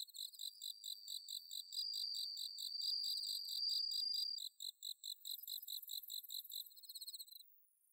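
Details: Autumn-night chorus of bell crickets in Chiba's Inba-numa rice paddies, Japan: steady high pulsed chirping runs throughout, joined by a long ringing trill in the middle and a shimmering hiss-like buzz toward the end before fading.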